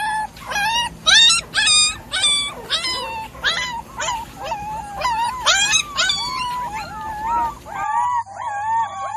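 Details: High whining yelps from Golden Labrador puppies in a village, repeated in quick bursts over a rough background hiss that drops away near the end, leaving softer wavering whimpers.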